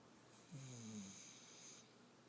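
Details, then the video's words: Sleeping puppy snoring: one low, droning snore with a faint rising tone, lasting about a second amid quiet room hiss. "Snoring puppy"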